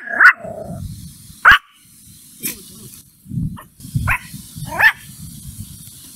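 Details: Mimi, an angry puppy, barks at a stranger: five sharp, short barks spaced one to two seconds apart, with a low rumbling background between them.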